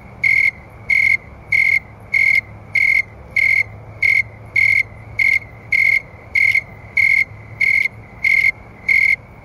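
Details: Chorus of snowy tree crickets at night in August, about 70°F, whose pace rises with temperature: crisp, evenly spaced high trills, each chirp short and pure, repeating about every 0.6 seconds against a quiet background.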